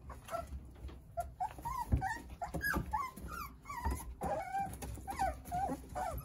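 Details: Nine Jindo puppies tumbling and playing with their mother Sarang produce bright, bending whines and little yelps, several overlapping in steady succession, over low thumps and shuffling of small paws.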